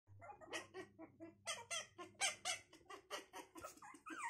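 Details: Puppies learning to walk give rapid, high squeaky whimpers in short bursts, about three or four a second, some rising and falling, with faint low hum beneath.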